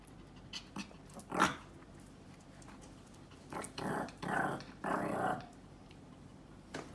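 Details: Pet Pomeranian and Yorkshire Terrier indoors, told that playtime is over: several low, rough growling bursts, each under a second long, with a sharp noise near the start and a woman speaking between them.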